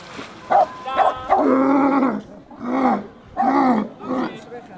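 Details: Seal in the animal park at Rhenen giving drawn-out, hoarse, moaning calls, four long roaring notes over about five seconds with short gaps between them. Brief human speech can be heard in the background.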